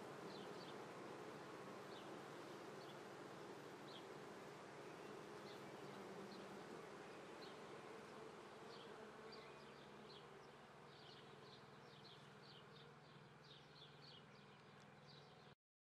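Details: Apiary near Treviso, Italy, 22 May 2010 at 9:30 am in swarming season: a continuous low droning hum from a mass of honey bees, fading slightly toward the end, with small high chirps scattered through.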